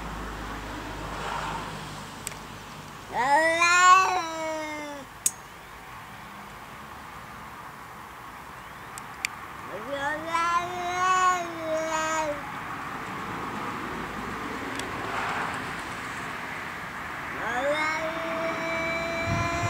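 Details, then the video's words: Pet cat making weird, funny noises: three long drawn-out meows, each rising then holding a wavering tone for about two seconds, spaced several seconds apart, over steady background hum. "Cat making funny sound"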